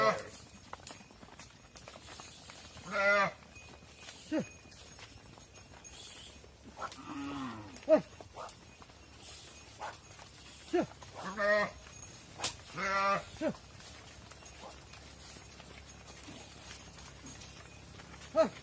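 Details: Mother cows moving into a barn while calves remain outside on a farm: repeated short bawling calls spaced a few seconds apart across the recording, some overlapping, with clatter and background barn noise between them.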